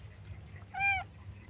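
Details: Lone kitten crying at the roadside after being left by its mother or dumped; one clear, steady, high mew lasting about a quarter second over a low constant rumble.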